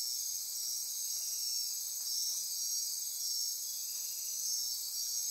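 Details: Dense nocturnal insect chorus in rainforest near Corcovado National Park on Costa Rica's Osa Peninsula, a steady high-pitched wall of buzzing and trilling with several sustained bands, even in loudness throughout, no other clear sounds.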